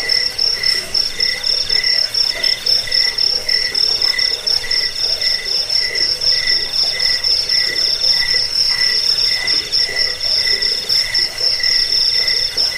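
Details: Several crickets chirp together, in a recording for repelling rats, aiding sleep and training birds: piercing high pulsed trills repeated in quick rhythmic bursts, with a lower buzzy trill layered beneath.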